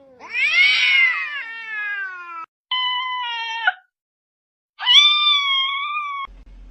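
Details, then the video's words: Pet cat with a talking-cat reputation giving three high, drawn-out meows. The first swells and bends downward, the second is short and flat, and the third is long and steady. A quiet background lies between the calls. "These Cats Speak English Better Than Hooman!"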